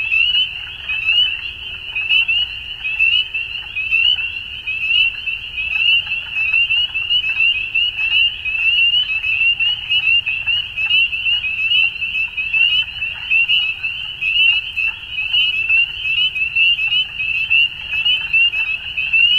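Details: Dense chorus of frogs calling at dusk in spring in Ontario, Canada: countless high, short upward-sliding peeps overlapping into a steady shrill band, with loudness pulsing about once a second and a faint low rumble beneath.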